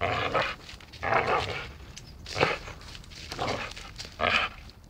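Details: Dachshund playing and biting; a run of harsh, noisy growl-barks, five or so uneven bursts in five seconds, mixed with sharp knocks and scraping.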